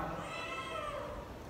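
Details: Mother domestic cat at a cat meat shop in Vietnam, meowing loudly to make friends with a person: a short, tonal, wavering meow over background murmur and faint voices.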